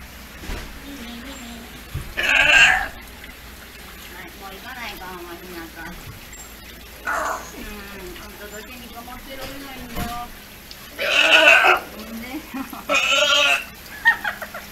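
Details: Male California sea lion pup Hinata, close to his first birthday at the Ise Sea Paradise aquarium, insistently expressing his wishes. Three loud grating bleats, one early and two near the end, separated by quiet talk.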